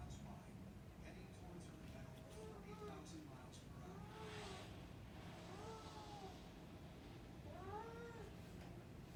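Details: A female Burmese cat indoors gives a series of short, arched meows a second or two apart, each rising then falling, apparently wanting to go and wake the baby; a low household rumble runs underneath and a person speaks briefly.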